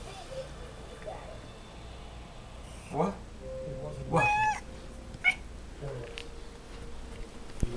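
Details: Female pet cat making odd noises while chasing a flashlight beam: a short buzzy burst, then a wavering, trilled chirp and a brief high squeak, with softer chattering afterwards and human voices at low level.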